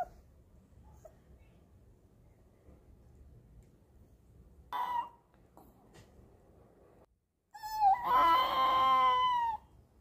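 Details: Mel, a four-month-old female Pomeranian (German Spitz) puppy, howls indoors as her mother teaches her to; after a quiet stretch and a brief yelp, a high, thin, steady howl with bright overtones holds for nearly two seconds.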